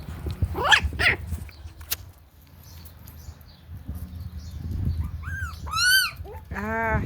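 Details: Pinscher puppy, nervous and trying to bite though it has no teeth, gives high rising and falling whines and yelps, a burst of squeaky cries near the end, with indoor rustling and a person's voice nearby.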